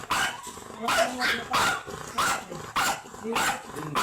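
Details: Imported Long Coat Chihuahua stud Ramboo at Laoac, Pangasinan barks in short, bright bursts roughly every half second, with a person speaking between the barks.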